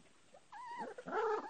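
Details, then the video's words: Bull terrier puppies with their mother: a short, rising-then-falling whimper, then a louder nasal whine with wavering pitch, against a quiet background. "crazy puppies scare moma to hid on the house"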